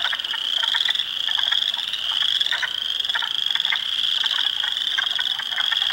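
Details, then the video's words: Spring frogs by the hundreds in an Ontario swamp at Heartland Forest, April 2, 2022, with Spring Peepers, Wood Frogs and Eastern Chorus Frogs; steady high-pitched peeps merge into a ringing wall, punctuated by quick duck-like clucks. "Frog Sounds"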